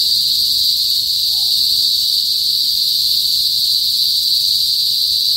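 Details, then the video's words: Kuliglig, Philippine cicadas, in a northern Philippine province, loud before sunset: a continuous, steady high-pitched shrill drone with no breaks, filling the air at an unchanging level. "TUNOG NG KULIGLIG SA PROBINSIYA | PHILIPPINES CICADAS NOISE"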